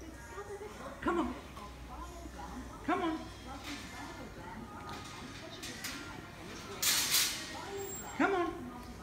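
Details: Estee, a female Italian greyhound finding her voice, gives a few short, high, yelping barks spaced several seconds apart in the morning, between a person's encouraging words.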